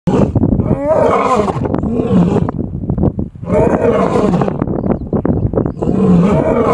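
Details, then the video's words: A lion in the Serengeti roars in the early morning in deep, rasping bursts, each powerful phrase followed by a brief pause. "Roaring lion in Serengeti"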